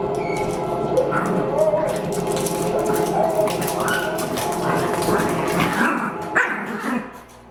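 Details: Two pet dogs, young Teddy and older Mac, play fighting in April 2014, filling the air with continuous rough growls and snarls that sound fierce though harmless, with occasional higher yelps near the end.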